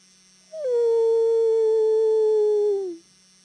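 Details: Wolf answering a human howl with one sustained, pure, level note about two and a half seconds long, a short higher onset and a soft downward slide at the close.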